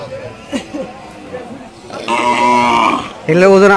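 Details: Improved-breed Indian bull at the Chowbaria cattle market, Manda upazila, Naogaon district, recorded 21 September 2018: a steady, low, droning moo lasting about a second, then a shorter, rougher wavering call, after faint men's voices.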